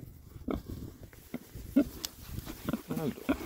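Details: Six male rare-breed Oxford Sandy and Black pigs, described as happy, on a winter forage between storms; short low grunts and oinks come in quick irregular bursts, several overlapping, with a few rising, more tonal squeals.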